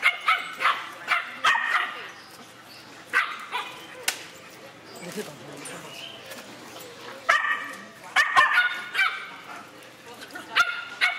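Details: Three-month-old female Pit Bull mix puppy playing rough, giving bursts of short, harmonic, yelping barks in quick clusters, with pauses between bouts and human voices in the background.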